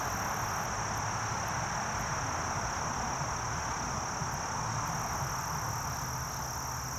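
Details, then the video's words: Short-winged meadow katydid song as a continuous high-pitched buzzing hiss with faint ticking overtones, a higher buzz fading in after about five seconds, and a steady low hum beneath. "Short-winged Meadow Katydid Singing"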